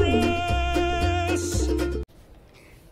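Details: Lively Latin salsa music with plucked strings and percussion plays for two seconds, then cuts to a quiet room with no animal sound.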